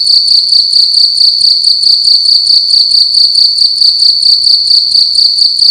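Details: Loud nighttime cricket song indoors, one insect in a room producing a piercing high-pitched trill broken into rapid even pulses, roughly two per second, uninterrupted throughout.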